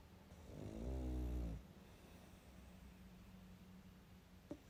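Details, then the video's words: One low, rumbling snore from a sleeping pug swells and fades within a second, followed by near silence with a faint steady hum and a tiny click at the end. "Мопс и сон😴Храп.Мопс-ребёнок"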